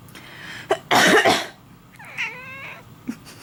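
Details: Indoor house cat answering its owner's cough: a harsh cough, then a single trembling, slightly falling meow lasting under a second.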